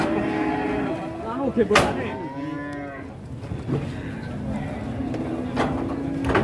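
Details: An enormous restless cow, raging as it descends from a truck in Indonesia, gives a wavering moo around two seconds, then fainter lowing, with sharp clanks and steady background music.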